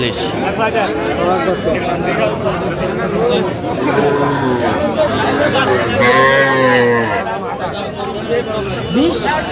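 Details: Young cattle, small bulls and heifer calves, at a livestock market in Faridpur, Bangladesh, 11 November 2025, give low drawn-out moos in the middle of the clip, surrounded by steady crowd chatter and bargaining voices.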